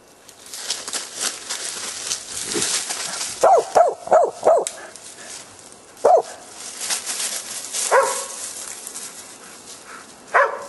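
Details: Korea Tri Hound barking during a wild boar hunt outdoors: a quick run of four barks, then isolated single barks spaced a few seconds apart, over steady broadband rustling and wind noise.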